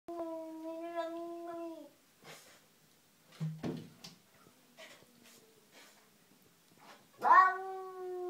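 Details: Cat in a garden confronting an unwelcome cat, giving a long, steady, low drawn-out yowl lasting about two seconds, then scuffling and soft noises, and a second rising, wailing yowl near the end.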